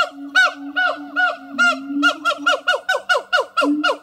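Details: Duetting siamang gibbons, two captive animals at Zoo de La Fleche, singing one hot August 2018 morning: rapid, accelerating loud barks with bright overtones, around thirteen in four seconds, over a low sustained booming tone.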